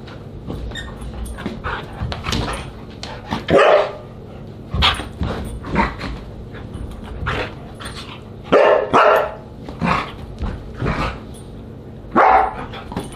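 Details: Siberian Huskies gathered for a dinner party, July 24, 2022, calling out in a noisy chorus of barks, yips and drawn-out talking howls, loud bursts recurring every second or two across the stretch.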